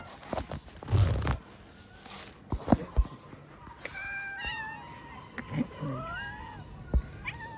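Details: Homeless street cats being fed outdoors, meowing in a run of drawn-out harmonic calls, level then gently falling, several in succession, with knocks, bumps and brief human speech around them.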